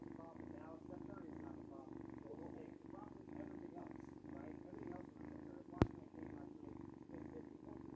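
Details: Luna, a pet cat described as noisy, purring steadily indoors: a low, rumbling pulsed drone that runs evenly throughout, with a single sharp click partway through.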